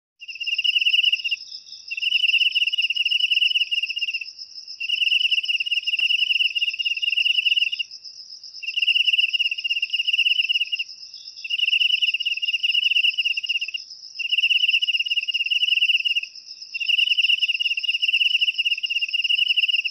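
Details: Cricket chirping, offered as a natural way to drive rats out of the house: pulsed trills about one to two seconds long, separated by short gaps, over a steady high continuous ringing tone.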